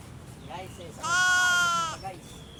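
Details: Sheep being fed, giving one loud, steady, nasal bleat that lasts about a second and holds an even pitch. Brief human voices come just before it, with a quiet outdoor background.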